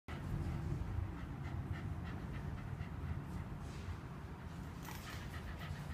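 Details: Shiba Inu panting at the end of its second morning walk on 14 November 2015, after running beside a bicycle on a weekend for exercise; soft rapid breathy pulses over steady low rumbling background noise.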